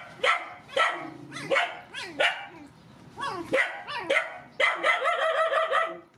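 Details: Rescued mother dogs and puppies at feeding time, giving a run of sharp, ringing barks and yelps roughly every half second, rising into a rapid, overlapping burst of high yaps near the end.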